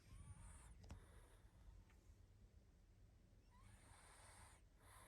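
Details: Pug Barney, tired out and asleep, produces two soft, breathy snores a few seconds apart, hissing exhalations with a slight whistle, otherwise near silence.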